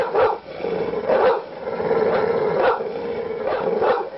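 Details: Angry dog barks in sharp, evenly loud bursts roughly every second, with a continuous rough growl carrying through between barks.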